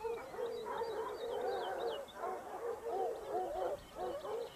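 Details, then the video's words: Hunting Basset Hounds of the Topsfield Lebrera pack in Spain, second season 2015-16; several dogs give continuous overlapping bawling cries, steady in pitch, with brief pauses near two and four seconds and faint high squeaks overhead. "Basset Hound Pack (jauria) of Topsfield Lebrera"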